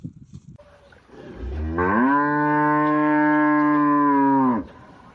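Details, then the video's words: Cow mooing: a single long, steady, low moo holding one level pitch for nearly three seconds, then ending abruptly, with faint rustling and quiet low noise before it. "cow sounds humboo humboo"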